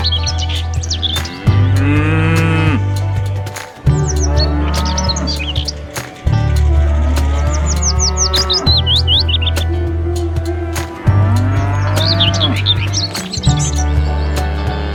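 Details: At a market, cattle low to call their friends. Repeated long, deep moos sound every few seconds, some wavering and rising. A constant low drone runs underneath, and high chirping birds twitter throughout.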